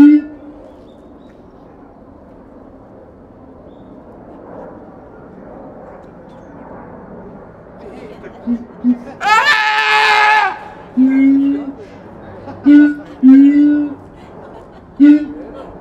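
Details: At Higashiyama Zoo, Japan, captive siamang Keiji, who tends to call early in the morning, recorded 17 January 2023: steady background hum, then a brief piercing scream followed by a string of short low booms.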